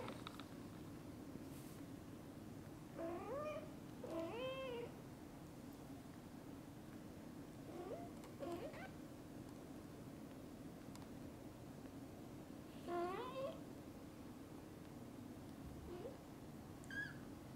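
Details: Kittens that have just woken up call to their mother cat, asking to play outside. High, thin meows come in short clusters, several bending up then down in pitch, spread over the clip above a steady low background hum.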